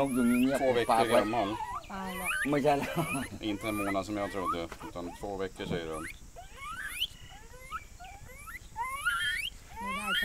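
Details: A young gibbon from Myanmar, caught by hunters and being rescued for a national park, gives loud, rising whooping notes that sweep upward in quick succession, with harmonic wails earlier.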